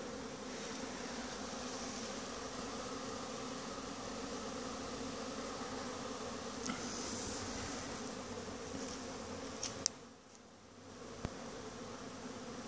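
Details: Honey bees streaming out in a mass winter cleansing flight at noon from Langstroth-Root hives. A rich, even droning hum with strong low overtones carries on, broken by a few sharp clicks and a brief quieter dip near ten seconds.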